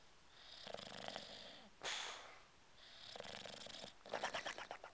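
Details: A male English Bulldog in deep sleep snores in raspy, rattling breaths with a blubbering, fluttering sound; he also holds his breath, twitches, and blubbers loudly enough to wake himself briefly.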